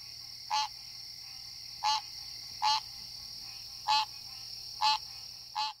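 A green tree frog gives loud, nasal honking calls, each a short bright note repeated about once a second.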